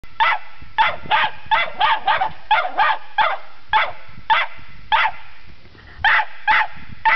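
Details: A Cairn Terrier barking while investigating a dead polecat it is not convinced is dead; rapid sharp barks in quick bursts, about a dozen in seven seconds, with a person speaking Danish afterwards.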